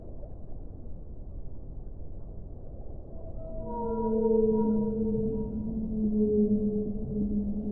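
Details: Whale moan swelling in after a quiet rumbling start, a sustained low tone with bright overtones held for several seconds, slightly wavering in pitch, over constant deep underwater noise.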